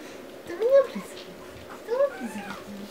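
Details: Two short rising squeals from Pomeranian puppies, about a second apart, each a thin bent whine over a quiet indoor background with a low hum.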